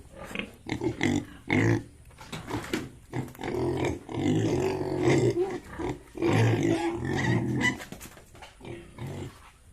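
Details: Yorkshire and Hampshire pigs on a farm in Bongaigaon, Assam, giving deep harmonic grunts in short bursts, some drawn out into longer moaning calls, with dense overlapping vocalising through the middle and quiet gaps between bouts.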